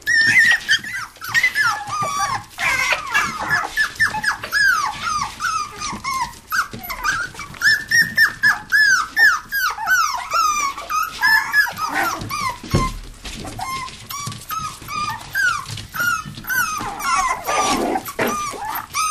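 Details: Playful toy poodles and Pomapoos in an indoor living-room play area, 11/9/07, keep up a dense run of arched, high-pitched whining yips, some rising then falling, a few rough growly notes, near-continuous throughout.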